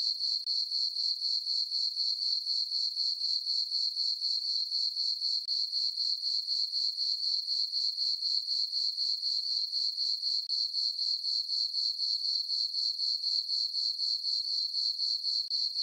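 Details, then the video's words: Crickets on a calm summer night in a farm meadow beneath a full moon keep up a long, even, high-pitched chirping, pulsing regularly about four times per second without pause; no other animals or noises. "Cricket chirping sounds"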